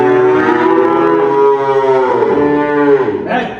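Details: Dairy cow, among heifers and milking cows yielding 20 to 45 litres, at a farm selling cattle near Dhaka, Bangladesh, gives a long loud moo with a rich stack of harmonics, steady for three seconds, then falling away at the end.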